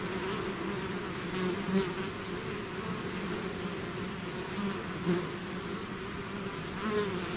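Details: A swarm of bees outside the hive fills the air with an even, low humming drone, broken by a few short, louder buzzes of bees flying past close by.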